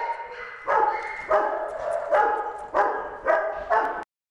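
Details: One-year-old female German Shepherd mix dog at a rescue shelter barking; six loud, hoarse barks come about every half second, with a brief pause between them.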